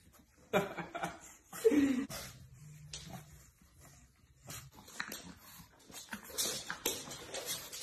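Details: Pug dog giving short, yelping vocal sounds, the clearest a brief whine-like call near the middle, mixed with people talking and laughing in a small indoor room.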